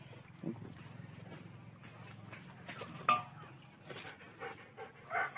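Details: German Shepherd kept at home with its puppy: a low, steady rumbling growl runs for about two seconds, then soft scattered noises, a sharp knock and brief human voices toward the end.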